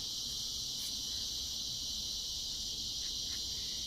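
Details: A loud insect chorus on a summer evening in Texas, a dense, unbroken high-pitched shrilling that holds steady throughout; speaker wonders about cicadas but doubts it.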